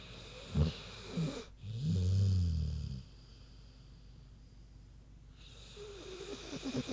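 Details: Queenie, a big pig, asleep and snoring: a short snort then a long, loud, low droning snore lasting about a second, followed by quiet breathing and a soft wheezy exhale.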